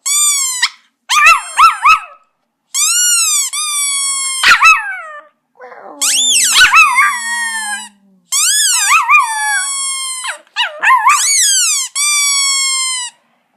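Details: Pet Chihuahua Poco, recorded in August 2014, howling along to a squeaky toy: repeated high, quavering howls that rise then fall, alternating with sharp squeaky bursts, about eight phrases separated by brief silences.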